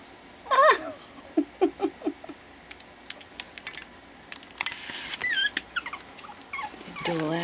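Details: Four 4-week-old Pekingese puppies playing together for the first time after dinner, indoors; short high whimpers and squeaky yelps in a loose series, with a woman talking and laughing between them.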